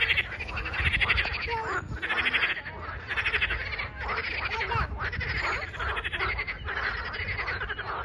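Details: Frog chorus from 21 April 2023 with pulsed trilling bouts recurring about once a second, separated by short quiet gaps, a few lower croaking notes mixed in and a low background hum.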